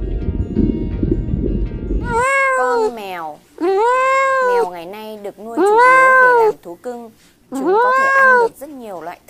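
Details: Domestic cat kept as a pet, meowing four times in drawn-out, rising then falling wails spaced about every two seconds, after a short burst of music.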